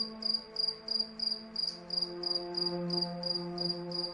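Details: Night cricket under the moonlight: bright, buzzy chirp bursts made of quick pulses, roughly three each second, with calm ambient music humming beneath.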